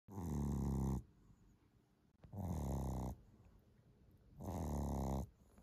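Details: A 12-week-old Boston Terrier puppy snores in loud, rasping, low breaths about every two seconds.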